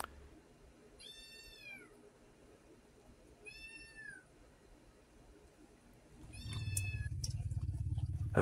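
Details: Rocky, a rescued homeless kitten that was unwell and given medication, mews three times. Each mew is drawn-out and harmonically rich, rising then falling, about two to three seconds apart. A low rumbling noise follows the last one.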